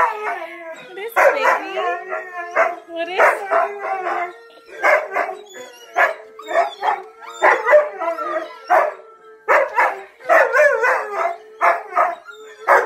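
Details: Siberian husky Onyx, silent for about 11 months after his brother Mylo died, howls along with videos of Tonka the Malamute and Monroe the Husky: wavering, yodel-like harmonic bursts in quick runs, with a low steady tone and some human talk.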